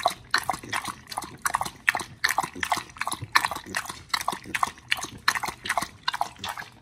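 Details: Dogs Oli and Nomy eating raw meat on a raw-food diet, recorded November 2022: wet, crunchy chewing in rapid irregular bursts, dense clicky bites and squelches about twice a second, with no other clear sounds.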